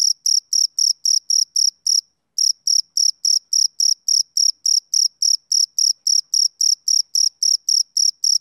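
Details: Male cricket chirping on a summer evening: clean, high rhythmic pulses repeated about four times a second, with one brief pause near two seconds before the steady beat resumes; no other sounds.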